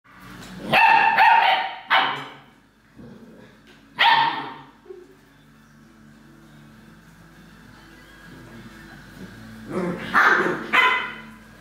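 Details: An Alaskan Malamute, recorded 30 November 2013, gives loud, harsh barks in short bursts with pauses between.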